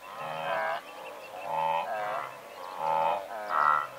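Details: Blue wildebeest calling from a herd of several hundred, close by: four honking, nasal bursts roughly every second, each a rich harmonic groan, with other animals overlapping faintly in between.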